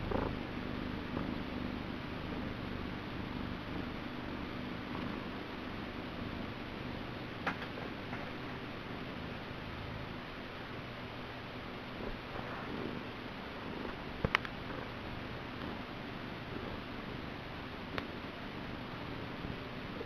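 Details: Niku, a male pet cat, purring indoors: a steady low rumbling throb held through the whole stretch, with a few faint sharp clicks and taps in the background.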